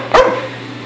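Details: A dog freaking out and attacking an air hose lets out one short, sharp bark, followed by a steady low hum.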